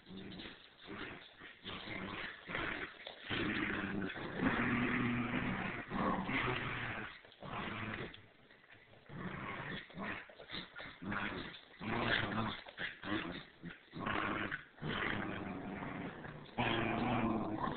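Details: Two dogs, a 3-month-old standard schnauzer puppy and a Bichon, playing tug-of-war indoors; bursts of rough growling and snarling with short gaps, some yips mixed in, uneven rhythm throughout.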